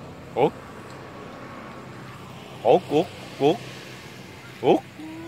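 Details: Galapagos sea lions sleeping at night on San Cristobal Island, Galapagos: five short harmonic calls, each sweeping upward in pitch. One comes early, a cluster of three follows and a last one comes near the end, over a steady low hum.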